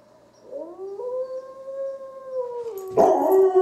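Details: Domestic dog howling in reply to wolves: a long, smooth, steady tone that rises at the start and holds level for about two seconds, then dips, followed by a sudden burst of louder, rougher noise at the end.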